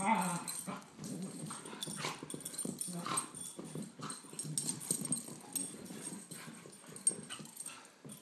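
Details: Two young dogs, a Beagle mix of 17 months and a Great Pyrenees of 10 months, at play; short grumbling growls and snorts come in quick irregular bursts amid thumps and scuffling.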